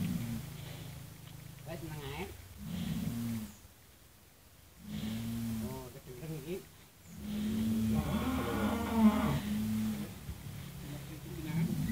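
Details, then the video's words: Cattle being weighed, giving low, drawn-out moos with steady stacked tones, repeated several times with short quiet gaps between them, while men talk and give instructions nearby. "Reaksi Sapi Saat Di Timbang Berat Badanya"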